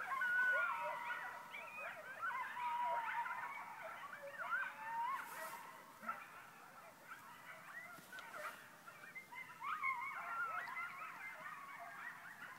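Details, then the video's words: Coyotes howling very close, perhaps 100 yards away, from all directions outside a home; a dense chorus of wavering high howls, yips and quavering wails overlapping throughout, loudest at the start. "Coyotes howling outside my door"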